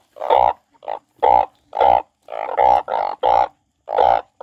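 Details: Crying frog producing short, reedy, moaning notes in an uneven run, about nine bleats over four seconds with brief silences between them.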